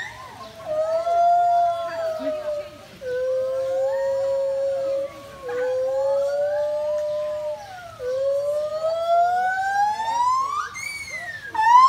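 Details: Monkey at a zoo giving long, loud, tonal wailing screams: several sustained cries with slightly wavering pitch, each running two to three seconds with short breaks between, the last rising sharply into a higher, strained squeal; faint low murmur beneath.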